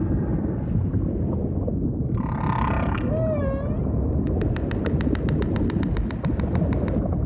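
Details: Humpback whale song in deep ocean ambience: a short noisy burst, then a bright tone that curls upward near three seconds, followed by a rapid train of clicking pulses lasting about three seconds.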